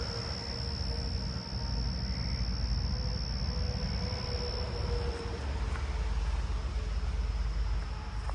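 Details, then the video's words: A loud Carolina ground cricket gives a steady, high, buzzy trill over heavy rumbling traffic, one of many in a backyard with ground cover on a summer night, 7/25/26. "Right here is a pretty loud Carolina ground cricket actually."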